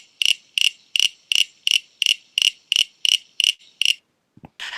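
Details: Common Eastern Froglet (Crinia signifera) in Melbourne, a tiny frog with a loud call, gives a cricket-like series of sharp creaking pulses, about three per second.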